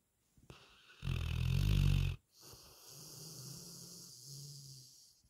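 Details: Snoring of a sleeping retriever: a faint breath, then a strong, deep, grating snore about a second long, followed by a gentle, low, wavering hum as the dog breathes out.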